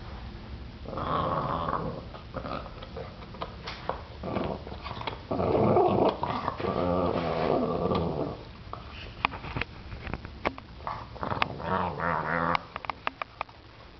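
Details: Adult Boston Terrier, seven years old, indoors growling and snarling to defend a bone from a ten-week-old puppy; rough rumbling growls in several surges, loudest around the middle, with scattered clicks and knocks.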